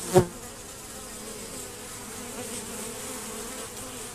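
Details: Honey bees at a screened, reduced hive entrance during robbing; a low, muted hum runs steadily after an opening knock, with faint hiss above.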